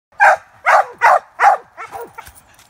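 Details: Young cur pup barking at a caged squirrel during squirrel training for the fall: four loud, sharp barks about half a second apart, then softer, trailing yelps.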